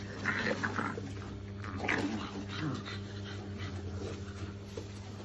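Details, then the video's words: Play-fighting Shar Pei pups give brief high whining yelps near the start and again at about two seconds, then quieter scuffling and low grumbles, all against a steady low hum. "Shar pei puppies fighting."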